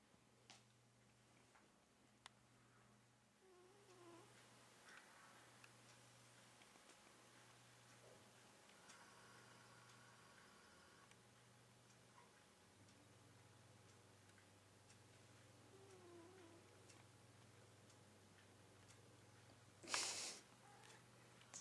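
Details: A female Persian cat snores softly while dreaming, eyes moving and feet running in her sleep, a low steady drone in slow breathing cycles.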